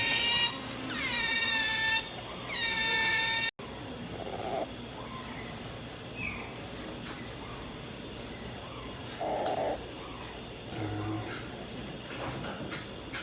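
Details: Pet otter clinging to its owner makes two long, high whining squeals in the opening seconds, then falls quiet, leaving room noise with a few soft bumps and a low murmur.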